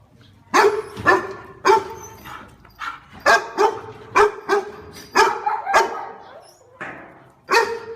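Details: Dog barking at a stranger, running and barking: sharp, harmonic barks in quick bursts of two or three, some spaced about half a second apart, with short pauses between volleys.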